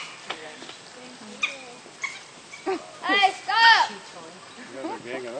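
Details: Captive African wild dogs, three at Binder Park Zoo, squabbling over one chew toy, give bursts of short squeaky chirping cries that arch up and down, clustered in quick runs, with soft human voices nearby.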